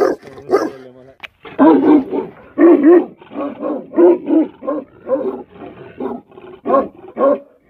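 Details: A livestock guardian dog in a cow shed gives loud, deep barks in irregular bursts, some drawn out into rough, harmonic howls.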